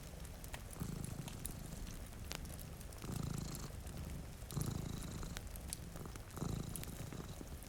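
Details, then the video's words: Two domestic cats sleeping in front of a rainy window purr in low, rumbling bouts that swell roughly every one and a half seconds, over steady rain patter and the sharp pops of a crackling fireplace. "Purring Cat"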